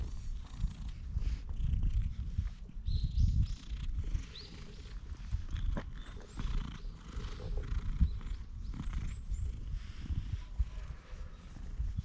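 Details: Stray cat being stroked, GoPro HERO8 recording: a heavy, low rumbling purr swells and fades in waves, mixed with thumps and rustling contact noise.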